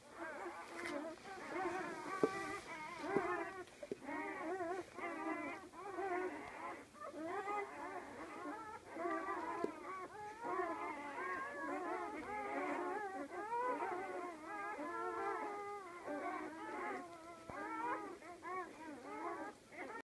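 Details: A litter of twelve newborn Great Dane puppies, born today, whimper and squeal together in a constant chorus of thin, wavering cries.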